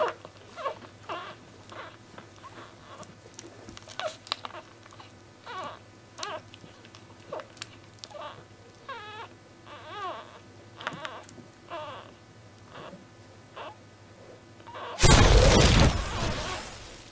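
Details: Week-old basenji puppies of litter B, busy nursing. Repeated short squeaks and wavering whines come in quick succession, including one longer quavering cry, over a low hum, ending in a loud burst of rustling noise.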